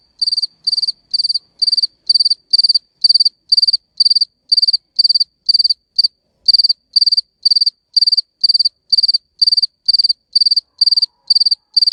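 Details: Male cricket chirping to attract females: clean, high-pitched pulsed chirps repeated about twice a second, steady and evenly spaced, with one brief pause near the middle; no other sounds.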